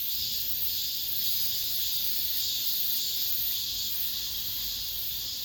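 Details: Cicadas singing within an apartment complex at the end of summer, the season's last chorus: a dense, steady, high-pitched hiss-like drone with slight pulsing, continuous throughout with no other clear sounds.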